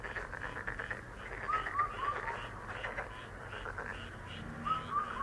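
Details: Frogs calling in a dense, steady chorus of rapid rasping pulses, with a bird's short whistled notes rising in quick groups of three in the middle and near the end.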